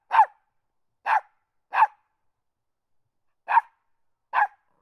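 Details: West Highland White Terrier puppy barking constantly: five short, sharp, yappy barks at uneven intervals, two close together, then a long pause before two more, against complete silence.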